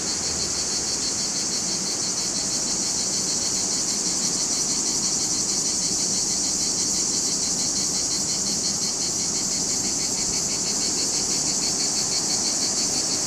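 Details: Male cicadas singing in July near Larissa, Greece, recorded with a camcorder's surround microphones: a dense, continuous high buzzing chorus with a fast pulsing texture, steady in loudness throughout.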